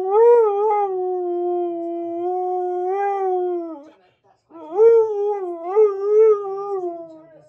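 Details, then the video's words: Siberian Husky singing along to Queen's Flash, making a dramatic entrance: two long, steady, mournful howls with gentle wavers, separated by a brief silence, the second starting louder and rising in wobbling swells. "Husky Thinks He Sings Flash Better Than Queen!"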